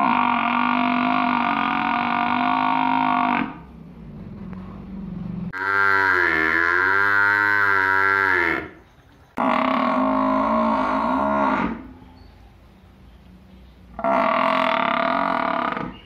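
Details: Buffalo in a village bellowing four times in succession, each moo lasting two to three seconds with a full, buzzy harmonic tone, separated by short quiet pauses; close and loud.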